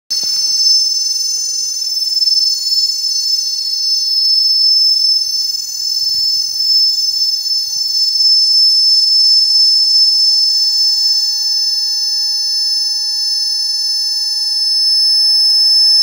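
A cicada's song fills the air as a continuous, shrill, metallic whine. The tone stays level and unwavering from start to finish, with no pauses or changes in pitch.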